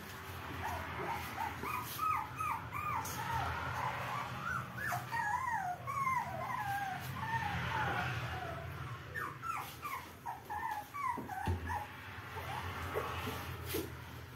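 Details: New small puppies whimpering and yipping, a dense chorus of short high whines overlapping in quick succession, some rising then falling, over a low background hum.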